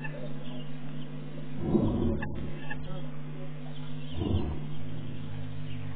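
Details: Male lion at Tau staking his claim on the surrounding territory: two deep, rumbling low bursts a couple of seconds apart, heavy and breathy, over a constant low hum.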